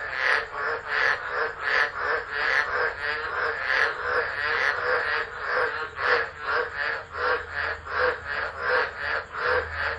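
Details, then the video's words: Tropical frogs in a stormy December night chorus at Driver, Northern Territory, Australia, captured by an unattended phone camera. Grating pulsed croaks repeat rapidly and unevenly, several callers overlapping, with a thin high-pitched hum throughout. "Tropical Storm Frogs Singing"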